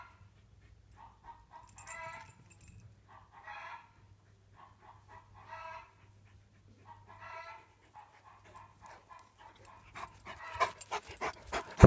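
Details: Tornjak, a Bosnian-Croatian livestock guardian dog, giving deep, harmonic barks that come in short bursts roughly every two seconds, with quieter single woofs between them. A steady low hum runs underneath, and a burst of clattering noise closes the recording.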